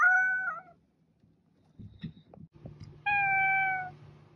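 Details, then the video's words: Cat meows twice, a short falling meow then a steady one a couple of seconds later, with soft shuffling and tapping noises between the calls. "Cat Meowing"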